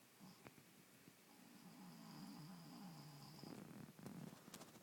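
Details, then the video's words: Keywee, a pet sleeping and snoring loudly indoors: a drawn-out low rumbling snore with a faint high whistling tone, followed by softer rattly breaths. "Keywee snoring"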